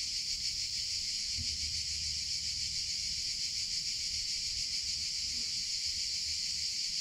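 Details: Cicadas singing in summer, a steady high-pitched droning buzz with no pauses. A couple of faint brief clicks are heard over a light low hum.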